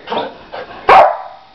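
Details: Playing Lab and Pit Bull cross puppy, four months old, gives two soft yips and then one loud, clipped, high bark that rings briefly in a small room.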